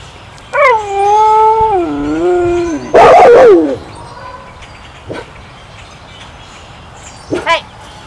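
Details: Gray wolf Izzy howls alongside timber wolf Titan before lunch. A long, smooth, harmonic howl holds level and then slides downward. A loud, harsh burst cuts in, followed later by short yelping calls.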